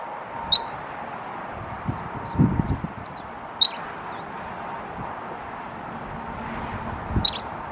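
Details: A squirrel gives sharp, high chirps about three and a half seconds apart while flipping its tail, over a low background rumble with a few soft thumps.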